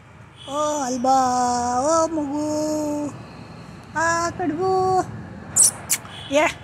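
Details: Cats Desiree and Alba, fearful of Diwali firecrackers, produce a prolonged mournful meow lasting nearly three seconds, then a shorter two-part cry, followed by a few brief sharp clicks.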